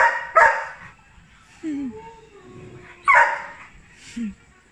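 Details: Labrador Retriever named Johnson, excited to see his owner: two loud, harmonic bark bursts about three seconds apart, each followed by a short, falling, whining yelp, with quiet pauses between.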